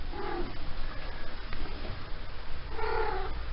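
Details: A female Maine Coon cat, just come into season, gives two drawn-out, wavering meows, talkative while having her back scratched, over a low background rumble.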